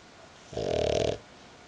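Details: Sleeping female dog lying on a person's belly lets out a single rasping, rattling snore of roughly half a second, set against a quiet room.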